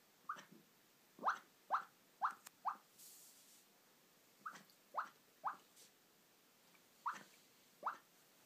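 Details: Female puppy asleep in her bed, letting out a run of roughly eleven quick, faint rising squeaks in small bursts, with a soft rustle partway through.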